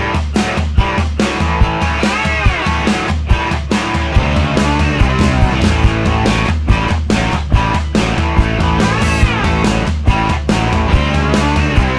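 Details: Loud rock music with driving guitar and steady beat fills the whole stretch, with no animal heard.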